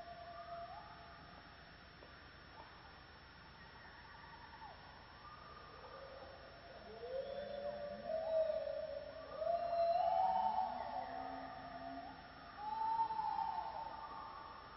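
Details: On a misty morning in the Borneo rainforest, a gibbon gives clear, pure whooping notes that swoop up and down, growing louder and quicker, amid other forest creatures.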